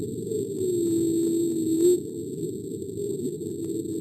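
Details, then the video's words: Humpback whale off the coast of Alaska, recorded in 1999: a single low, smooth tonal moan that holds steady and then lifts slightly at its end, over a constant wash of low underwater noise. "this is a recording of a humpback whale recorded off the coast of alaska in 1999 [Music] so [Music]"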